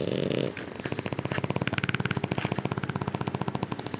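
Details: French Bulldogs Louie and Sophie sleeping indoors over spring break; after a hissing breath, a fast, evenly pulsed rattling snore runs on, vibrating several times a second.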